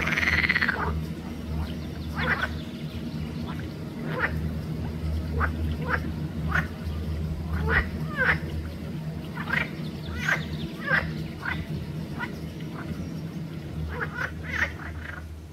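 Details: Green frogs of the genus Pelophylax calling at Volčji Potok Arboretum, Slovenia, on 5 June 2024: short bursts of rasping, clicking croaks repeat irregularly over a steady low rumble of background noise.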